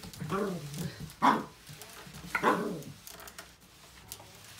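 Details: A female corgi puppy, two weeks in her home in March 2020, objects to a Swiffer WetJet floor mop with a low, whiny grumble, then two sharp, high-pitched barks about a second apart.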